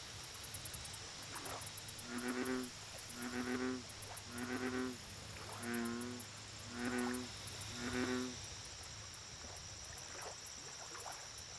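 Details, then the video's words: American bullfrog at a lake giving a series of six deep, twangy, harmonic croaks spaced roughly a second apart, with a continuous shrill insect trill and scattered clicks behind. "Bullfrog Lake Audio Only - Nature Sounds"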